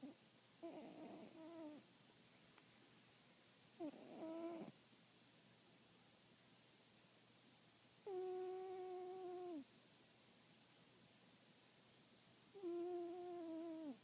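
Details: Sweep, an 18-year-old cat, snoring while asleep: four drawn-out, tonal, slightly nasal snores lasting one to one and a half seconds each, one roughly every four seconds, with near silence between breaths in a quiet indoor space.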